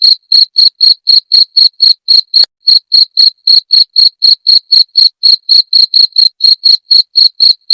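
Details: Cricket sound used as a rat deterrent: crisp shrill chirps repeating about four times a second, one brief gap with a soft tap after two seconds, then the same even rhythm resumes.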